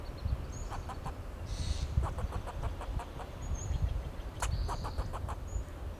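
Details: A fox squirrel on a Monterey pine in Del Monte Forest, California, alarm calling to protect itself and its territory: a few short runs of clicking, chuck-like barks over heavy low rumbling noise, with thin high whistles.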